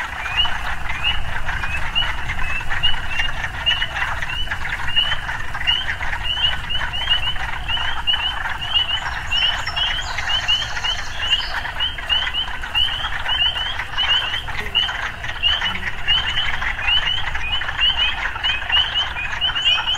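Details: Frogs calling amid urban life, many overlapping short rising croaks in rapid succession over a continuous trilling background, with a brief high bird chirp and steady low rumble.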